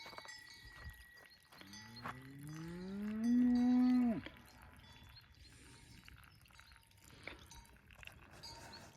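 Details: Angus cattle kept on natural pasture: a single long, deep moo that climbs steadily in pitch for about two and a half seconds before cutting off abruptly, over steady clanking cowbells throughout.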